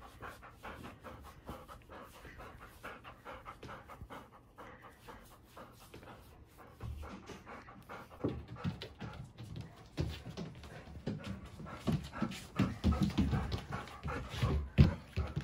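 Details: Ten-year-old female Golden Retriever, born 31 December 2010, panting while being shampooed indoors. Quick rough breaths run steadily, soft at first and growing louder and more forceful toward the end.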